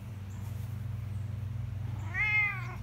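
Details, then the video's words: Ragdoll cat talking: after a stretch of low steady humming, one short rising-falling meow near the end, with a woman's voice praising the cat around it. "Ragdoll Cat Hobbs talking it up."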